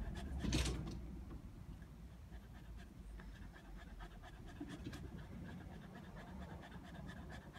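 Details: Border Terrier out sunbathing in the heat, panting in fast, shallow breaths after a brief louder knock near the start; low background rumble throughout.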